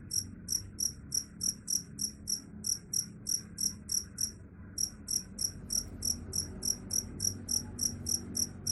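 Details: A cricket said to scare off rats chirps steadily, bright high-pitched pulses at about three or four per second, one short gap midway, faint low hum behind.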